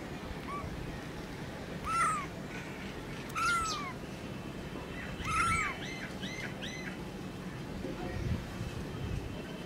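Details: Newborn kitten meowing: three short, high mews that fall in pitch, about every one and a half seconds, with fainter mewing between them over a steady low background rumble.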